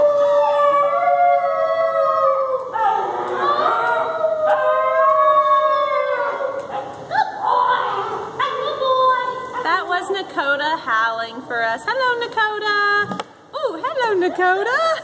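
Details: Wolf pup Nakota trained to howl on command, howling together with Melissa Burns: long steady howls give way to wavering, rising and falling howls in quick succession, followed by a brief sharp break near the end.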